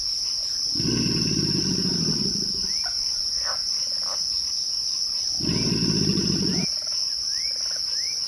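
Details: Twilight crickets hold a constant shrill trill while two loud bursts of low, rough rumbling break in, each lasting one to two seconds. Brief rising whistled notes come between and after the rumbles.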